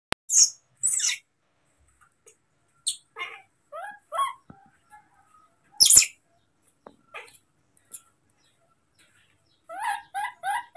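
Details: Baby monkey named Moni, furious at being left alone for a while by his father, who went to pick fruit; short high squeals and rising-falling chirps come in bursts, ending in a quick run of four stepped cries.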